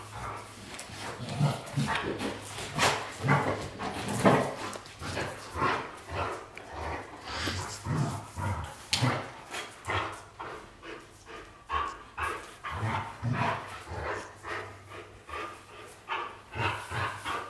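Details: Playful white Golden Retrievers James Bond and Luna keep up a long stream of short, harsh barks and growls, several per second, irregular but constant, with a voice now and then in the room.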